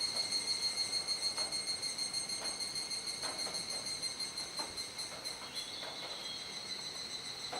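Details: Twilight cicada chorus at Kuji, Iwate Prefecture, Japan, rainy-season evening of 17 July 2017. A shrill layered buzz pulses rhythmically about three times a second, with soft intermittent knocks underneath.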